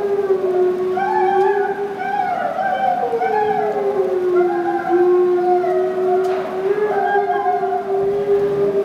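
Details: Two gray wolves, Kinako and Jay, howling together indoors in the Ezo deer and wolf house at Sapporo Maruyama Zoo, Japan, on 26 March 2010; long sustained overlapping howls, smoothly rising and falling, strongly echoing in the room.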